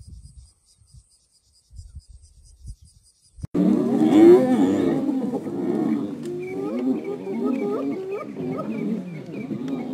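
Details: Wild African spotted hyenas: after a few seconds of quiet rustling, a loud chorus starts abruptly. Several animals overlap in deep, moaning groans with rising and falling tones, some sweeping upward, continuing steadily to the end.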